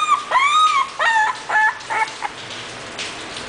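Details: English Bulldog puppy at a breeding kennel letting out a long drawn whine followed by several shorter falling yelps, then fading to quiet.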